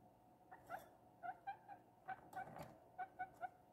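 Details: Young female guinea pig named Princess, a pet bought two days earlier, eating cucumber: a run of about ten short, mid-pitched squeaky notes in under four seconds, with faint chewing clicks between them.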